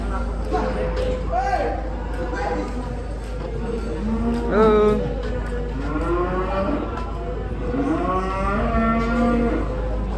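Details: A small cow getting off a truck to take part in a cattle contest gives several drawn-out, harmonic moos, some rising and then falling, close together in the second half, over a steady low rumble and background murmur.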